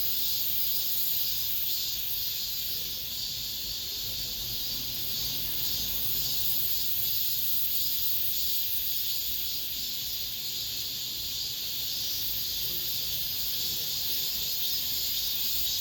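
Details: Cicadas singing in an apartment complex at summer's end: a dense, steady, high-pitched buzzing chorus that swells and pulses slightly, filling the whole stretch with no pause.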